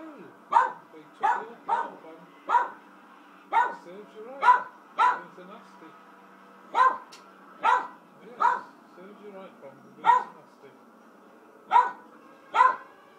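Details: Angus Pong, a pet dog, barks excitedly while watching Rambo: First Blood, a run of sharp single barks spaced about a second apart with short gaps, over faint film soundtrack and a voice.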